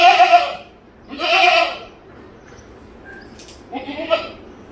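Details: Goat bleating three times, each a short, nasal, wavering bleat with rich harmonics, the third weaker and trailing; a faint thin chirp sounds in the quiet gap between bleats.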